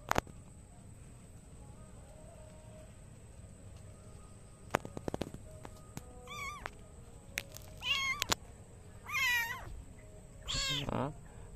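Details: A kitten sitting on a row of bricks gives a handful of thin, high, wavering, sad meows, each rising then falling, a second or two apart; the owner suspects she was bored.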